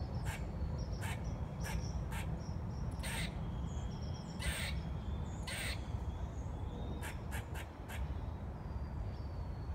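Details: Irregular bursts of scratchy, clicking calls from a squirrel described as singing, some single and some in quick pairs, with thin high whistles of small birds and a low rumble behind.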